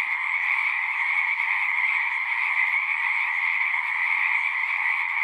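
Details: Many frogs chorusing at a pond in a horse pasture, recorded on a Zoom 6: a dense, unbroken trilling wall of sound with a bright band and a lower mid band, steady in loudness throughout, no other sounds.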